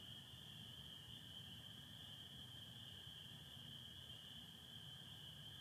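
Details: Spring peepers calling in a dense chorus on a spring night in Michigan, 24 April 2025, under stars with some overcast; shrill overlapping peeps merge into a steady high band, with a lower continuous trill of American toads beneath and a low background rumble.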